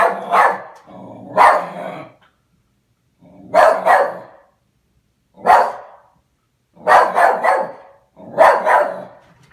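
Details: A West Highland white terrier named Oliver protests the household's new mail slot with loud, harsh barks spaced one to two seconds apart, some doubled or tripled, with brief low grumbling between and short silent pauses.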